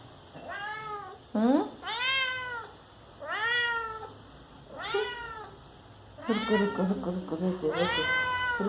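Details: House cat calling insistently to get a door opened, a run of six loud, arched meows about every one to one and a half seconds, overlapped near the end by a woman talking in Hindi.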